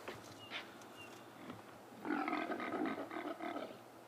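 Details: A rutting impala ram at sunset on a chilly, damp afternoon after rain, with rams fighting, gives harsh, rasping roars in a rapid pulsing series, about four bursts a second, after a quiet start with faint outdoor noise.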